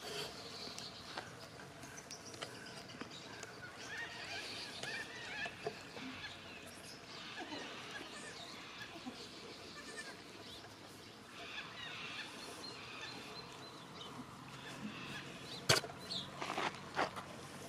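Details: A goat that loves cuddles, being cuddled, gives a few short, wavering bleats scattered through a steady hissing background, with a sharp click or knock near the end.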